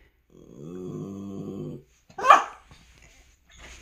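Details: A pet dog indoors at dawn, happy and wagging its tail as a strawberry is brought from the kitchen, gives a low droning whine for over a second, then a sharp clatter and a faint voice follow.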